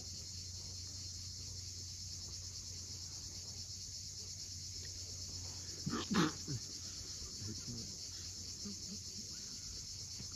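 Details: Sunset cicada chorus from the Crimean coast at Cape Fiolent, a constant shrill buzz holding level for the whole stretch; waves rumble low and a brief loud knock or bird burst breaks in midway.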